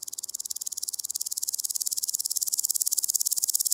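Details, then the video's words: Woodland grasshopper from Gaisberg, Austria, recorded 15 September 2023, giving a continuous high-pitched, fast ticking rasp of evenly spaced pulses that grows slightly louder throughout. "Omocestus rufipes -- Buntbäuchiger Grashüpfer -- Woodland Grasshopper"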